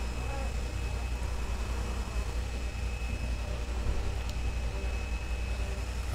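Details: A constant deep engine drone with a faint steady whine fills the recording, and no animal can be heard.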